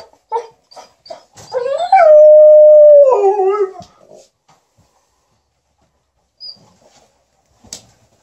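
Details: Alaskan Malamute and Golden Retriever entertaining their owner with "talk" while she irons; short yips lead into a sustained, level howl about a second and a half long that bends downward at the end, then quiet.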